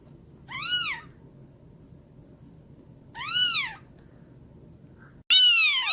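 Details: Newborn kitten meowing: two arched, high mews about three seconds apart, then a louder, longer cry starts abruptly near the end, as if cut in.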